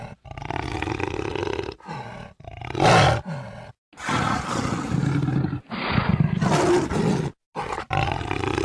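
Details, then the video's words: Harsh, throaty jaguar roars in long sustained stretches, deep rumbling tones under raspy upper noise, cut off sharply by brief silences. "Jaguar sound"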